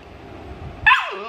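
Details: Siberian Husky puppy, awake while the others sleep, 'talking' back at its mother: one short, loud whining yowl that starts high and slides down in pitch, following a quiet, murmuring background.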